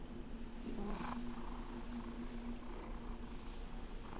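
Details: Purring from Alex, a fluffy rescue cat at home: steady low continuous rumble with a faint sustained tone, close and even throughout.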